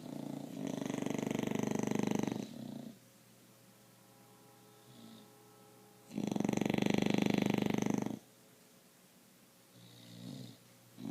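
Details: Two English Bulldogs asleep, snoring loudly, with long rasping breaths about every six seconds.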